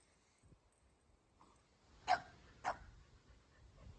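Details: Play-wrestling pair Kumo, a Keeshond, and Sully, a Boston Terrier; over a quiet, faintly rustling background, two short, sharp barks sound about half a second apart, followed by soft scuffling.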